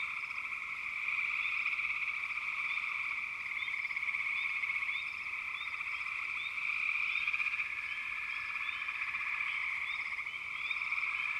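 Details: Frogs massed in a constant, even chorus of high trilling, overlaid with brief rising chirps that come in clusters; level swells slightly after the first second.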